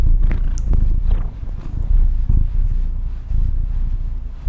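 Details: A female house cat purrs in a low, unbroken rumble with slight swells and dips, while a few short higher squeaks and clicks sound near the start.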